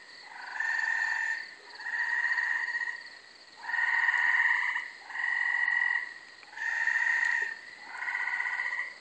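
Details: Gray treefrogs, several together, singing at night in late May from a small overgrown lot in Carolina, Rhode Island: six evenly spaced musical trills of about one second, each separated by a short pause.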